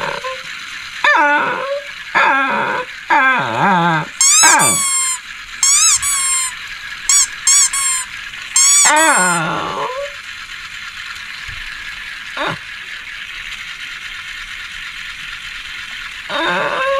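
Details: Shih Tzu barking and growling: a cluster of quick yips and barks with piercing squeaky high notes during the first ten seconds, then mostly hiss with one sharp bark near the end.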